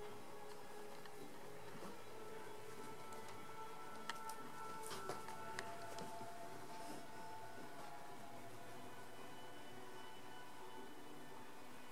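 A low steady hum with faint sustained tones and a few soft clicks, like indoor machinery or distant music, with no animal voice.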